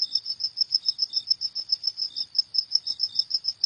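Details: Night-time crickets give a steady series of bright, high-pitched chirps, roughly three or four each second, repeated without pause in a quiet setting.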